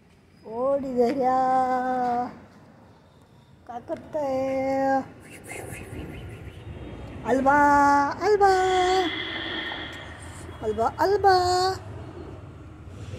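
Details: During Diwali, pet cats Desiree and Alba, scared by firecrackers, utter long steady meows of one to two seconds each. Four separate cries come with quiet pauses between, the third dropping slightly in pitch at its end.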